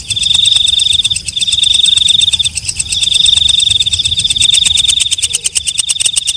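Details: Night katydid known as walang kecek stridulating: a piercing high trill in long phrases with brief breaks, backed by dense rapid clicking that grows more prominent and uneven toward the end.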